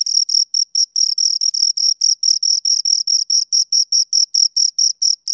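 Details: Two crickets calling near the microphone, making short, piercing high-pitched chirps in a brisk repeated pattern, some pulses merging into longer buzzes, over a silent background.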